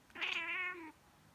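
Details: Miez, a female pet cat, reacting as she does every time someone sneezes or pretends to sneeze: a single smooth, tonal meow just under a second long, steady in pitch and falling slightly at the end, in a quiet room.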